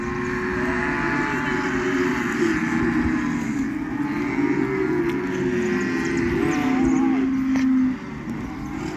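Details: Cattle in the countryside lowing: a long, steady, drawn-out moo with a low tone held for several seconds, then a second sustained call near the end, over a constant engine-like drone of a vehicle.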